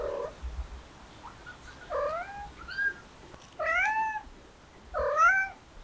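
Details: Stray kittens meowing: four clear, rising-then-falling mews about one second apart, each with stacked harmonics, over a quiet background with a few faint clicks.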